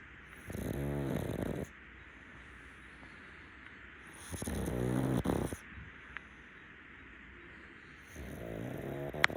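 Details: A rescue pug takes an afternoon nap on a futon and snores in three throaty, rattling drawn-out breaths, each lasting one to one and a half seconds and separated by quiet gaps, with a faint click near the end.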